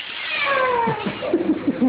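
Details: A cat gives one drawn-out meow with a slowly falling tone, followed by soft, low human voices.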